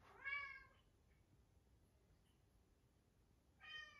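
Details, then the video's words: Siberian Forest kitten meowing after hearing his twin brother, indoors; two clear harmonic meows, one near the start and one at the end, separated by quiet. "He heard his twin brother"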